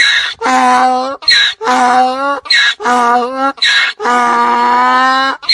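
A donkey brays, loud harmonic honks alternating with raspy indrawn wheezes in a steady hee-haw rhythm.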